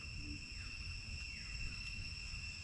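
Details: Cicadas with parakeets at the Baphuon temple in Angkor, Cambodia: steady high buzzing tones hold throughout, with faint descending sweeps and low background rumble.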